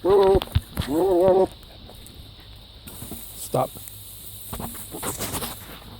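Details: Goat making odd noises: two loud, tremulous bleats open the recording, the second rising and wobbling, followed by quiet background, a short grunt and faint rustling.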